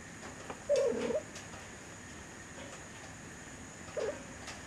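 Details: Three-week-old kittens from the Aurora litter, recorded 20 November 2011, indoors; one short, wavering mid-pitched squeak near the start, then a second brief mew about three seconds later over a steady background hum.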